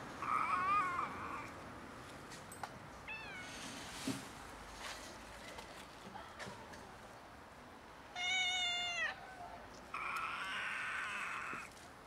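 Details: Two stray cats in poor health, one clearly sick and barely vocal, make weird meows: four calls over twelve seconds, two hoarse and raspy, two clearer with a bending, wavering pitch, and faint background noise between them.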